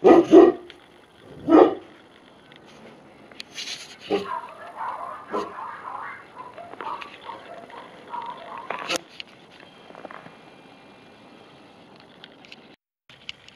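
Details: Two heavy, booming Tibetan Mastiff barks open the recording a second apart. Softer scattered sounds and human voices follow.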